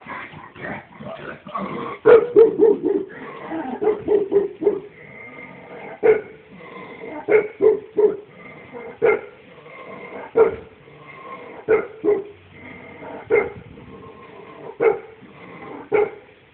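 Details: A 15-year-old Shar Pei dog barking steadily, short sharp barks repeated roughly every one to one and a half seconds, louder clustered barks early then evenly spaced single barks, no other clear sounds.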